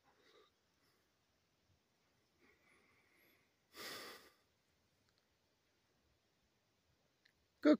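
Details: Large bull that wandered into a campsite one morning and met a bulldog named Nipsey: one forceful, breathy snort midway, with faint quiet voices earlier and a sharp click at the end.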